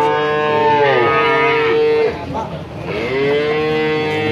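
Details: Two long, even moos from male calves in Grabag, Magelang, Indonesia, part of a lot of 19, each held steady for about two seconds, separated by a short break filled with background murmur.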